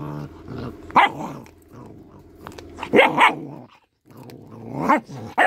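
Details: Small dog growling while eating fish: a low, steady rumbling growl broken by a few sharp, louder bark-like outbursts.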